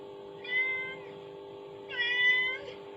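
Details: Kitten meowing in response to a mother cat's call sounding from a phone indoors; two bright, sustained meows about a second and a half apart, over a low continuous hum.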